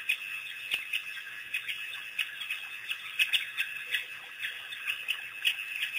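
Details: African painted dogs, a pack making their first visit to Pete's Pond after release by researchers, April 5, 2008; high, squeaky chirps and twitters repeated in quick irregular bursts, several overlapping, with a steady high hiss behind.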